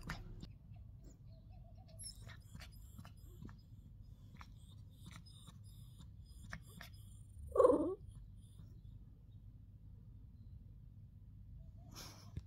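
A Shih Tzu puppy gives a single brief, rising-and-falling whining cry against a quiet room.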